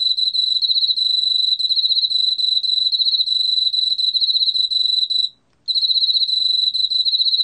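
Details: High, ringing cricket trill from a Korean field cricket, steady and rapidly pulsed for over five seconds, with a brief pause before it carries on.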